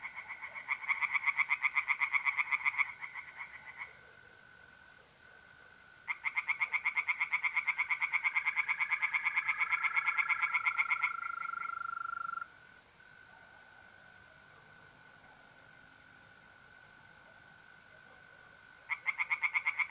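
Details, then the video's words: Pond at night in north-east Italy, mid-April: tree frogs call in long bouts of rapid, grating pulses, stopping and starting again, while mole crickets keep a continuous thin, even trill underneath through the pauses. "relaxing singing tree frogs in pond"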